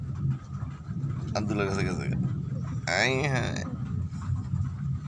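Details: A cat gives two drawn-out meows, the second rising then falling in pitch, over a steady low rumble like a running engine or passing traffic.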